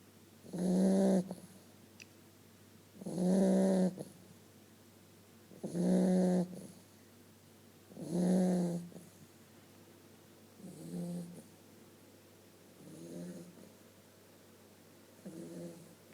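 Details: Eight-week-old Vizsla puppy snoring while asleep: seven slow, regular rasping breaths about every 2.5 seconds, low and throaty with buzzy overtones, the first four loud, the last three fading softer.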